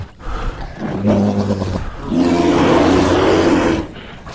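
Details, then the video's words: Bear encountered in woods near a house, growling toward the recordist: a continuous low, vibrating growl over about four seconds, deepening and swelling in its second half, with a rough, grinding texture. "Bear Sounds"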